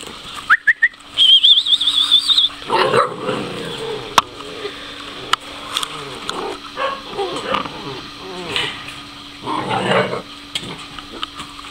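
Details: Two-month-old mastiff puppies in Chillán, Chile: a thin, high, wavering whine rises and holds for about two seconds, then gives way to softer snuffling, scuffling and low grunting noises.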